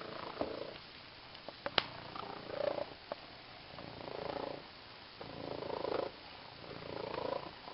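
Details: Female domestic cat purring while playing with a new green fish toy, close up; rumbling purr swells in pulses with each breath, about every second and a half, with a few sharp clicks and taps of the toy.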